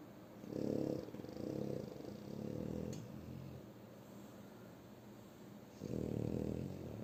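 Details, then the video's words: Shturm, a French Bulldog, snores while asleep, with three quick rough snores in a row, a pause of quiet breathing, then another harsh drawn-out snore near the end. "Французский бульдог Штурм Храпит Опять"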